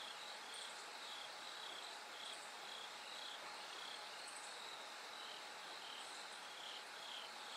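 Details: Night-time song of bell crickets, the sky slowly brightening toward dawn: clear, high, ringing pulses come in uneven groups above a constant wash of broadband noise.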